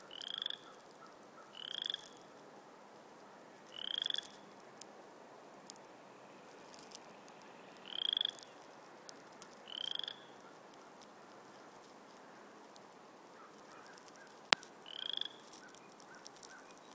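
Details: Frogs calling in a natural setting: short, bright, nasal croaks, each a brief burst, repeated at uneven gaps of about one to four seconds, with a quiet steady background hiss and a single sharp click near the end.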